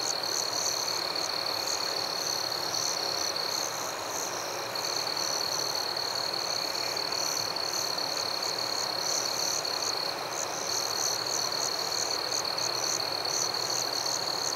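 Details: Night-time forest crickets calling together, a constant shrill tone underneath rapid rhythmic chirps higher up, the tone briefly breaking off and resuming; an even, uninterrupted insect chorus.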